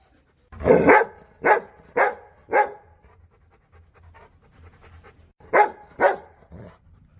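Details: Big Rottweiler barking at the camera, a burst of four deep, sharp barks, a short pause with faint panting, then two or three more barks.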